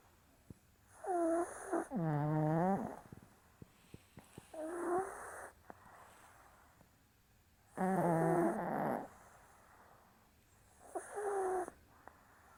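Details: Maltese pair Cherry and Ril asleep on 27 April, giving four rough, buzzing snores across the stretch, some doubled into quick back-to-back breaths, separated by near-silent gaps with faint small clicks.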